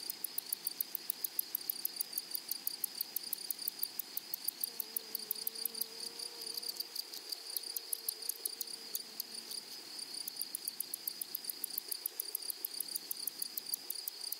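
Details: Grasshoppers singing in a flowering prairie meadow, a long run of rapid, sharp rasping pulses, dense and almost unbroken, with a continuous high insect hum beneath and a faint low tone midway.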